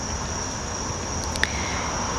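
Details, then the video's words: Crickets outdoors in the middle of the afternoon during stormy thunderstorm weather, sounding loud: a steady, unbroken high-pitched trill throughout, over a low rumble of distant traffic, with one brief sharp click. "and the Crickets are so loud"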